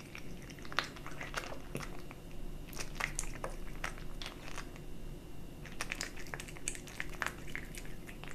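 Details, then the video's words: A young cat eats a mix of dry and wet food, making fast irregular crunches and smacking bites, roughly two or more per second, with a brief pause midway before the chewing resumes; quiet indoor background. "Kitten eating Dry & Wet cat food ASMR"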